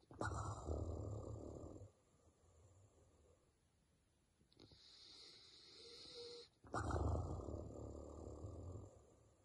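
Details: A Basset Hound in deep sleep snores in deep, rumbling breaths with quiet pauses between them.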